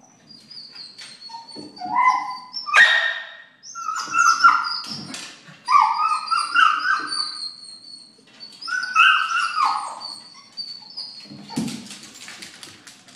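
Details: Excited male Scottish Terrier at home, going nuts over a squirrel on a neighbouring roof. He gives a run of high, sliding whines broken by sharp yelps in four or five bursts, with brief pauses between them.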